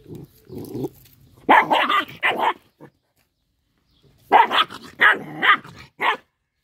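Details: Small dog growling over fish it is eating: a low rumble, then two bursts of sharp, harsh barks and snarls separated by a short silence.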